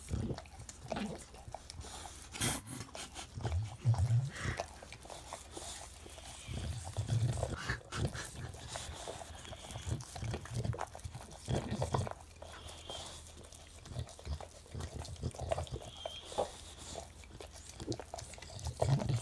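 An English Bulldog makes deep, rumbling snorts and grunts in irregular bursts.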